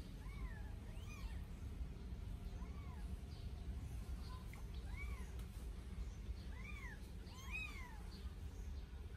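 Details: Newborn Sphynx kittens, 8 days old, meowing while bathed for the first time: clear, thin, arched mews with bright overtones, about eight calls in quick irregular succession, some overlapping, over a low steady rumble.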